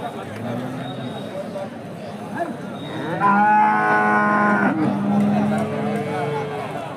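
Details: Indian Hallikar cattle at a busy temple cow market: after soft low grunts, one loud sustained moo swells and holds for over a second, then trails off, with people talking and bargaining nearby.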